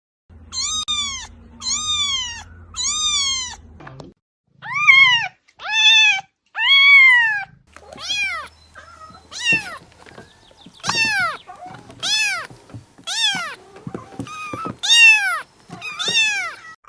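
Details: A cat gives a quick series of high, arching meows, each rising then falling, about one per second; the meow calls the mother or asks for food, play or help.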